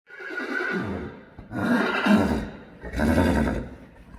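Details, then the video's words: Johnny, a Friesian horse who acts as nanny to the foals, calls a good-morning greeting: three loud, rich whinnies, each a shaky, vibrating neigh with strong harmonics, about a second long and separated by short pauses. "Johnny says good morning!"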